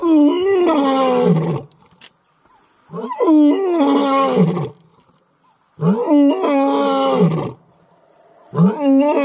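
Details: Roaring Imbali male lion, wild in Kruger National Park, South Africa, proclaiming his presence beside the Mantimahle lioness; four powerful, rasping moans, each about one and a half seconds long and falling in pitch, separated by short silences.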